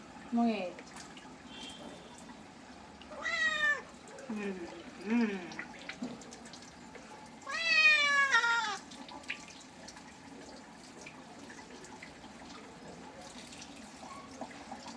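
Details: Cat being bathed, with a few short meows followed by a long, loud, wavering complaint around eight seconds in, then quiet with faint water sounds.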